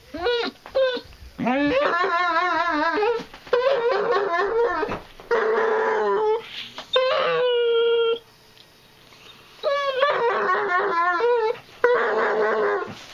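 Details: Basset hound bitch chewing on her tail indoors gives a run of warbling, quavering howls and yips, long sustained notes broken by short gaps, with some human speech mixed in.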